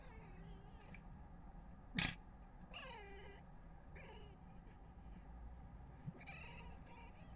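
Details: Red fox in a Weston-super-Mare garden early on 22 November 2025, making strange noises: a loud knock, then falling harmonic whines and short squealing cries against a quiet low hum.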